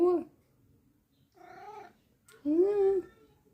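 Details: Micky the cat replies with three meows: a short sharp one, then a softer, longer, level mew, then a loud, drawn-out meow that bends upward and falls away. The calls come in a quiet indoor room.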